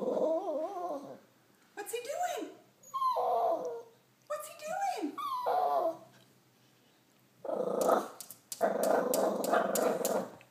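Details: Rocky, a dog, worked up over a squirrel eating a nut: high wavering whines and yelps in short bursts, then harsher rapid barking-like bursts near the end, with a person's voice urging him on.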